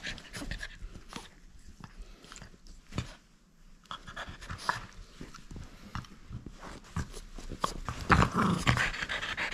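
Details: French Bulldog playing and keeping its toy: soft, quick breathing with scattered snuffles and sharp clicks indoors, growing into louder, denser huffing near the end.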